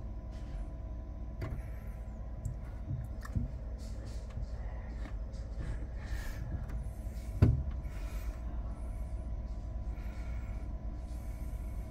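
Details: Steady low engine rumble from a vehicle, with scattered clicks and one sharp thump midway.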